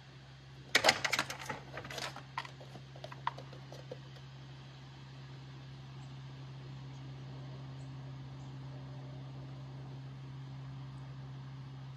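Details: A short burst of indoor clattering and scratching is followed by a steady low electrical hum; no animal voice is heard.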